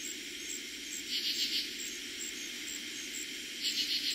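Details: Katydids calling at night in eastern Pennsylvania, summer 2021, their first night of the season: two brief scratchy bursts of rapid pulses about two and a half seconds apart, over a steady high-pitched cricket trill.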